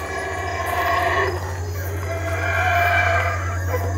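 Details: Howler monkeys calling boisterously: rough, harmonic roars swell and fade across four seconds, rising to a louder surge near the end, over a steady low hum.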